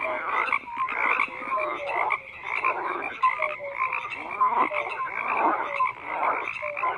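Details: Frogs croaking in a dense overlapping chorus, with rapid pulsed calls between roughly one and three kilohertz and short tonal notes repeating, loud and continuous throughout.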